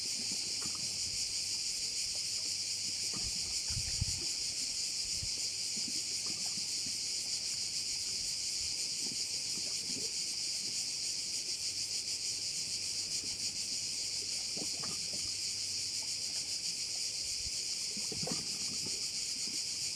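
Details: Crickets at a bay on Korčula, Croatia: a dense, continuous shrill buzzing chorus, steady and very high-pitched, with faint low knocks and soft splashes now and then underneath.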